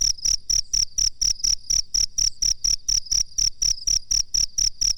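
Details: Master-training recording of a cricket: shrill, ringing chirps in a fast, even series of about four pulses each second, some nineteen in total, with a soft low rumble beneath.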